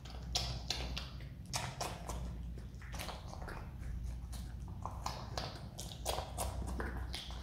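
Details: A pet Himalayan marmot (Marmota himalayana) eating pineapple indoors, with quick wet crunches and clicks over a steady low hum.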